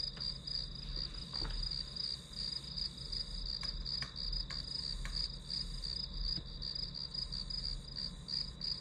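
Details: High, rapid chirping of grass insects serving as study-time white noise, a steady pulsing trill kept up throughout, with a few brief clicks and a low background hum.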